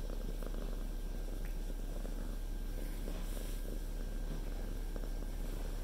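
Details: Cat resting on the lap of its owner, who cannot work while it sits there; deep, unbroken purring throughout, steady and low, with slight handling noises.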